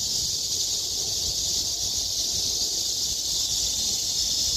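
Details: Summer cicadas in the trees at Haguicheon stream, Korea, producing an intense, uniform high buzz that never lets up, a bright shimmering wall of sound with only faint low noise underneath.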